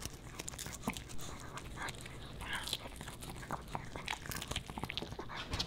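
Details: Boba Bear, a Pomeranian puppy, snacks on dog-friendly fish and chips indoors, producing sharp irregular crunches and wet chewing clicks in quick succession over a low room hum.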